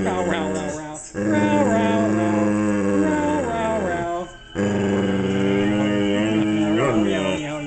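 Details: Rescue Standard Poodle at a poodle rescue ranch talking to his foster dad: sustained, wavering howl-like moans with rich harmonics, two long phrases broken by a short pause, over background music.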